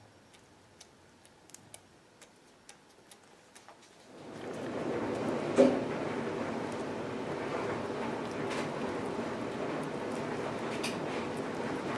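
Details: Faint scattered ticks in a quiet indoor room give way after four seconds to a steady broadband hiss with one brief louder knock.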